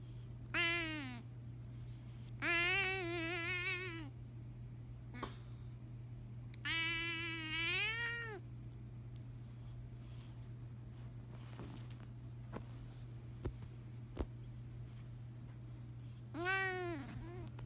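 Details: Pet cat singing to let out his thoughts and feelings; long drawn, wavering meows rising and falling in pitch, four separate calls spaced several seconds apart, over a steady low electrical hum with faint clicks between.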